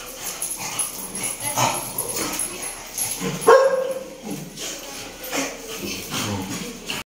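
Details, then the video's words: A female American Bully in Muzaffarnagar gives a run of short, irregular barks, one standing out near the middle, with softer yips and what may be people's voices mixed in between. "American bully femaly dog"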